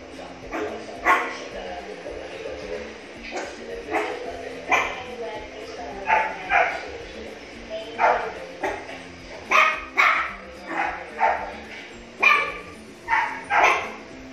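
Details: Miniature Pinscher barking at his own reflection on first seeing himself in a mirror; short sharp barks and yips repeated about every second, with a person speaking in the background.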